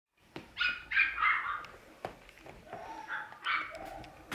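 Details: Two playful Wire Fox Terrier brothers: a series of high, whiny yips and short squeals in quick bursts, some drawn out and falling, with sharp clicks and knocks between them.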